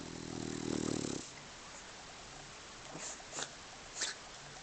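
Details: Sofia, a dog sleeping like a rock, gives one loud, rough, low-pitched snore lasting just over a second. A few soft clicks and faint rustles follow in an otherwise quiet room.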